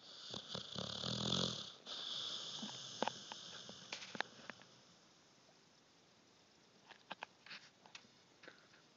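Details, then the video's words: Sleeping puppy snoring indoors: a loud, breathy, wheezing snore fills the first two seconds, then softer breaths and scattered small clicks and snuffles in a quiet room. "Puppy snoring!"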